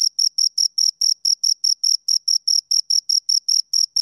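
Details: Shrill, rhythmic chirps from two crickets, about eighteen short scraping pulses in four seconds, each bright and high with a faint upper overtone, in silence otherwise.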